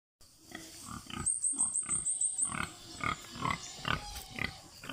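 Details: Domestic pigs on a free-range farm, oinking in short broadband grunts repeated roughly twice a second, with a high rapid trill of bird chirps overhead early on.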